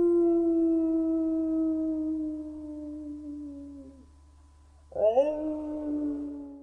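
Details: A gray wolf (Canis lupus) gives a long, steady howl that slowly sinks in pitch, then starts a second, rising howl.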